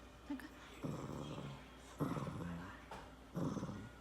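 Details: Pet Shih Tzu grumbling as its owner urges it to sing. Three low, rough, growly grumbles, each about half a second to a second long, are spaced about a second apart, with faint human voices in the background.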